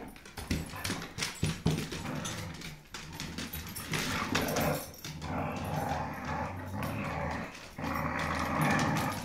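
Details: Dogs fighting over a rope toy, low growling mixed with snarls, scuffling and rustling noise throughout.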